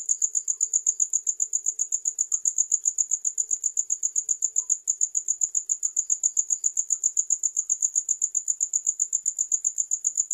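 A cricket gives a continuous run of high, clear chirps, evenly spaced at roughly four per second. The ringing tone holds steady throughout with little else in the background.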